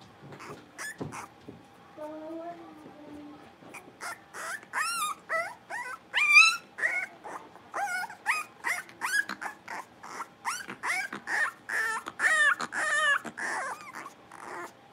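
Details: Five blenheim Cavalier King Charles Spaniel puppies at play in their pen; after a low whine, dense bursts of sharp, high yips and squeaky barks follow in quick irregular runs, loud and close, for most of the stretch.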